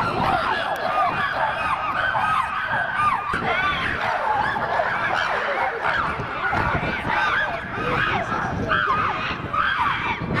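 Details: Chimpanzees at Twycross, a group worked up and noisy in their enclosure, recorded in 2018–2019; dense overlapping hoots and screams rise and fall continuously, many voices at once with no pause.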